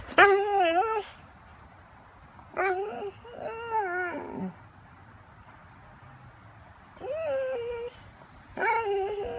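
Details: A Catahoula dog grumbles and talks back while begging for food. It gives four bursts of wavering, yodel-like whines and moans separated by short pauses, in a quiet indoor setting.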